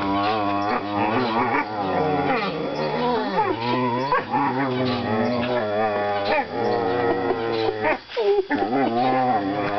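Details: Young whippets mouth wrestling in play, producing continuous warbling growls and moaning grumbles that bend up and down in pitch, overlapping with little pause for ten seconds.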